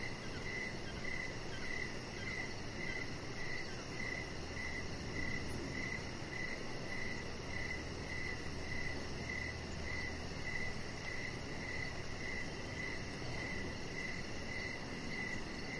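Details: Cricket chirps in the evening air around a deck where a chihuahua puppy rests; crisp high notes repeat rhythmically about twice a second, accompanied by a faint fast-pulsing higher trill and gentle low ambient noise.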